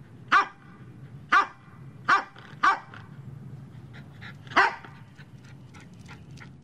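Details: Medium-sized dog barking in a powerful, assertive way: five sharp barks at uneven intervals, with fainter softer yips between them and a low background hum.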